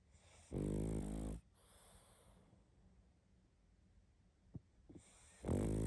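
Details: A sleeping pug snores loudly, with two long rough rattling inhalations about five seconds apart and soft wheezy breathing and small clicks between them.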